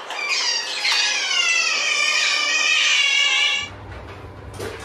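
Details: Baby otters in an otter cafe room in Ikebukuro, Tokyo, give a shrill, steady, whining squeal that wavers in pitch for several seconds. Finding: otter.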